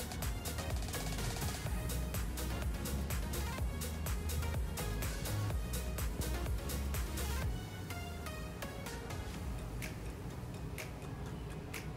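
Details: Electronic dance music with a thumping beat of about 125 beats a minute and a heavy bass line fills the whole stretch, with no animal heard.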